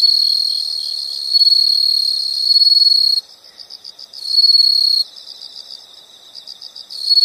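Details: Nature recording of insects: bursts of loud, high, sustained trilling switch on and off, and a softer rhythmic chirping fills the gaps between them.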